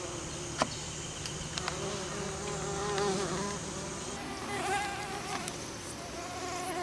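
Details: Western bumblebees pollinating an American Basswood tree, giving a low droning buzz whose pitch wavers and swells as bees move among the blossoms, with faint clicks and a brief high hiss later on.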